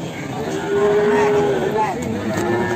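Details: Large Ongole crossbred cattle at a livestock market in Kebumen in the morning, giving a long, steady, low moo lasting over a second with a slight rise at the end, over market chatter and crowd noise.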